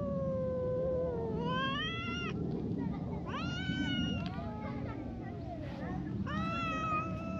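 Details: Brown tabby and tortoiseshell cats trading a verbal spat while keeping a wary distance; long wavering yowls answered by rising, strained wails, several overlapping exchanges in a few seconds against a constant low rumble.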